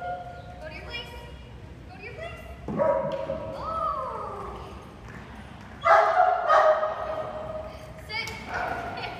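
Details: Great Dane puppy in a board-and-train program, recorded before and after training: high, tonal yelps and whining barks with rising and falling pitch come in bursts, over a person speaking commands throughout.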